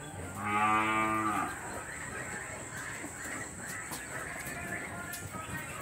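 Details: Dairy cows in a small-scale dairy operation, with calves being separated from the cows: one clear, low, harmonic moo lasting about a second. Quieter scattered sounds follow over a steady high-pitched hiss.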